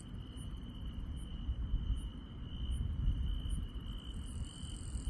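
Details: Rural night with grass insects: a level, shrill trill continues unbroken, faint very high chirps repeat about every three quarters of a second, and low rumble fills the background.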